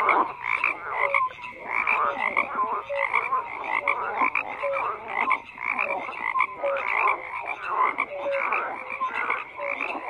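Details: A chorus of frogs calling together, rough pulsed croaks overlapping steadily with brief clear tonal notes recurring every second or so, forming a continuous night-pond texture.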